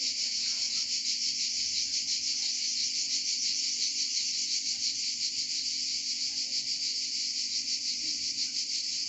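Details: Cicadas singing in Provence keep up a dense, shrill buzzing that pulses faintly but never breaks.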